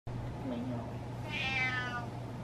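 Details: Butters, a male pet cat, meows to get what he wants: one drawn-out, clear harmonic meow rising then falling, heard after a brief low human murmur, with a steady low hum underneath.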